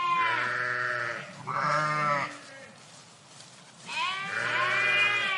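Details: Sheep flock in a park: two overlapping bleats at the start, a quiet gap, then another long quavering bleat, several animals calling.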